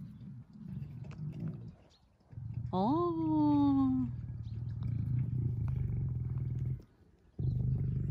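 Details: Lions in Crimea, the lioness Simona with the males Girey and Sultan: a steady pulsed low growl runs through most of the clip, broken by a falling harmonic moan near the third second, with voices nearby.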